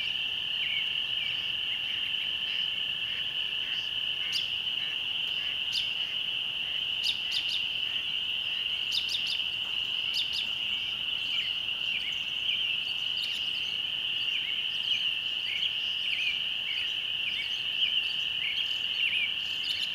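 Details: Spring peepers keeping up a steady shrill chorus at dusk by a country church, while songbirds add scattered sharp chirps and short twittering phrases above it.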